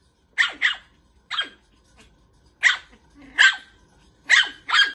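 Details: Toy Poodle teasing a cat, giving shrill, clipped yaps in pairs and singles spaced roughly a second apart, some with a slight growly edge, against a quiet background.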